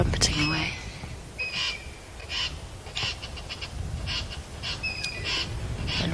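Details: At sunrise at an African dam, a very angry squirrel gives a harsh, cackling, witch-like alarm chatter at a fish eagle in bursts about every half-second to second, over a low background rumble and a few other bird notes.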